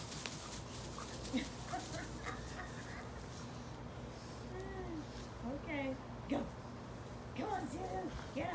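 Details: Two Basenjis, Zulu and Zinga, playing together in a backyard instead of the dog park; scattered short whiny cries with arching, rising-and-falling pitch come in bursts over several seconds, above a steady low hum.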